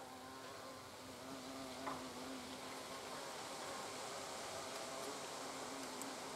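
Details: European hornets near their nest entrance, a low buzzing drone with wobbling overtones over a hissy background, growing louder after the second mark.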